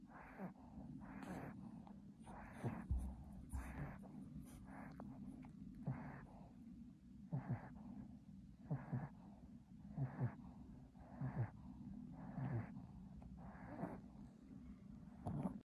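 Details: Chihuahua asleep, snoring with regular raspy, nasal snorts roughly once a second, the rhythm holding steady throughout against a low background drone.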